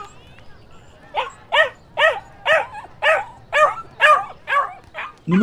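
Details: Dogs and puppies barking: a steady series of about nine sharp, bright barks, roughly two per second, evenly spaced against a quiet background, ending with a lower thump.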